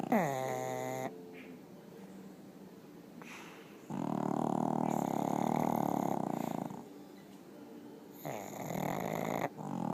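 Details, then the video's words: Sleeping pugs in bed snoring, opening with a brief higher whine-like tone, then heavy buzzy rasping snores and softer breaths alternating irregularly in a quiet room. "My pugs snoring!"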